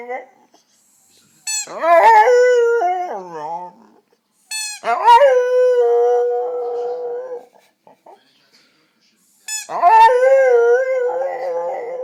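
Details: A pet dog gives strange drawn-out cries, three long bouts that each start with a sharp bark-like onset and then hold a steady, nasal, warbling tone for about two seconds before fading, with silence between bouts.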